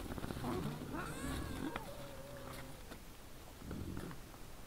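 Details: Wild boars at night before a trail camera, 17 December 2022 at 20:17: a drawn-out whining squeal with wavering tones in the first seconds, then low throaty grunting that fades and returns briefly.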